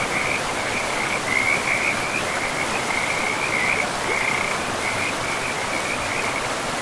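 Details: Frogs at a river in pristine forest give a sustained, shrill trilling that rises into louder stretches and then eases, backed throughout by the constant rush of running water.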